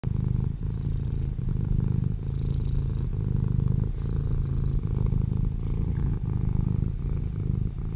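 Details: Domestic cat resting in a chair, purring steadily and loudly throughout: a low, continuous rumble pulsing in even breaths, with brief dips roughly every second; no other sounds.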